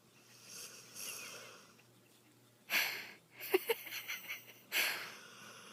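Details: Held in a person's arms, the dog Bubba lets out brief harsh snorts and wheezy breaths, several short sharp catches bunched together midway, then another raspy snort.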